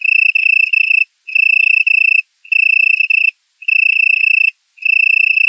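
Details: A male Italian tree cricket sings soft, pure trills about a second long with brief pauses, on a warm September night at 20:00, 18℃, in a currant plantation in Poland, stridulating to attract a mate.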